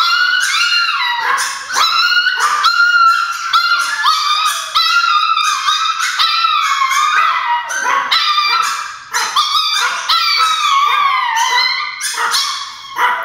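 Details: Chihuahuas inside the home, believing grandma has arrived at the door, keep up a dense chorus of piercing yips and wavering howls, with notes bending up and down and barely pausing.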